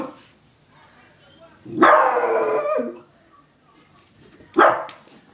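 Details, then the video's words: Daisy, a Beagle, lets out one loud, drawn-out, harmonic-rich howl lasting about a second, then a shorter forceful bark-like burst near the end, with quiet room sound between. "Daisy howling"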